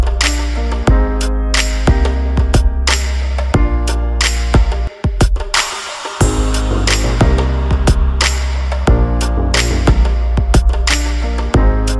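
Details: Only a bass-heavy music track with steady drum hits plays, and no animal voice can be heard.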